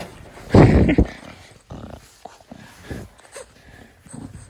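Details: Male pet Bulldog playing affectionately in a garden, 2021, giving a loud, rough, grunting snort near the start, then softer, broken snuffling breaths with short pauses between them.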